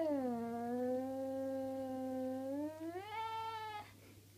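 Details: Unhappy domestic cat growling: a long, steady, low moaning tone held for nearly three seconds. It then rises into a higher, tense wailing yowl and cuts off, with faint indoor hum beneath.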